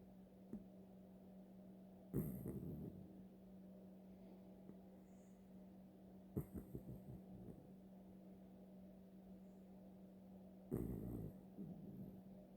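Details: Daisy, a senior piebald dachshund, snoring through a long Sunday afternoon nap: rough, rasping snore bursts come about every four seconds, with quiet breathing between them and a steady low electrical hum underneath.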